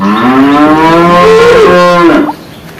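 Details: Male water buffalo giving one long, loud, droning moo of about two seconds. The call rises slowly in pitch, then cracks and breaks off abruptly, followed by quiet background.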